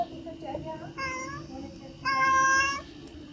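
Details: A cat asking for food gives soft short meows, then two clear drawn-out harmonic meows, the second louder and sustained about a second, against a low steady room hum.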